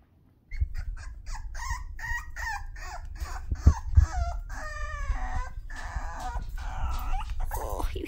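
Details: Toy Poodle puppies, six weeks old and called mad, produce a rapid irregular stream of short squeaky yips and whines, roughly three per second, over a steady low rumble of handling noise.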